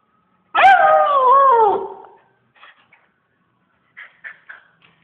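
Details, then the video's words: SnowBall the dog gives one loud howl of about a second and a half that starts high and slides downward, followed by faint clicks and small taps. "SnowBall Howls"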